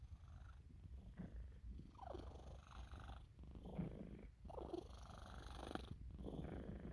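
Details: A sleeping Sphynx cat purrs in a low, steady rumble mixed with soft, snoring breaths while getting a belly rub.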